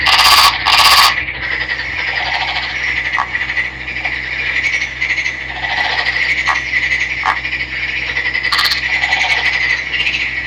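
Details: Male Nagoya daruma pond frog, a green individual caught by netting in a river and kept captive, calling loudly: rapid rattling, creaking pulses in dense trains with short breaks and a few sharp clicks near the start.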